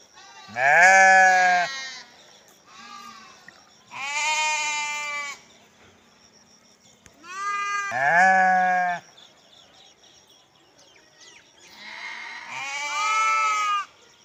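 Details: Sheep (Ovis aries), bleat.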